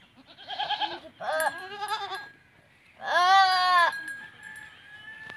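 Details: Teddy goats mating in a village in Punjab, Pakistan; a short wavering bleat is followed by a loud, strained, vibrating bleat lasting nearly a second, with a faint steady tone in the background.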